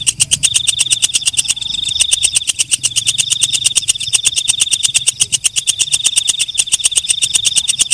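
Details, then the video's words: Walang kecek, the night katydid, at night: a rapid, evenly spaced series of bright clicks laid over a continuous high whine, keeping up steadily throughout with only brief softer moments. "Suara Walang Kecek/ Belalang Malam"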